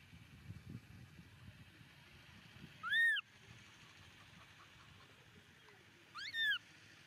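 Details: Momo, a baby monkey, cries on the rocks after his father walks away. Two strong arched, tonal wails about three seconds apart, the second slightly longer and wavering, over a quiet, low background murmur.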